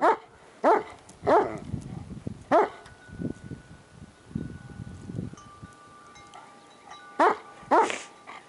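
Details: Shiloh Shepherd Kimber, paraplegic and pulled along in a homemade cart through snow, barks at dogs she sees; a few quick barks at the start and two more near the end, with chime tones and soft rustling between.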